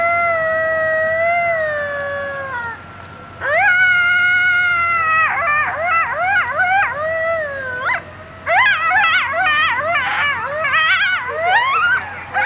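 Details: A coyote at Indian Pond, Yellowstone National Park, howls in long, falling tones that break into fast, wavering yips and warbles.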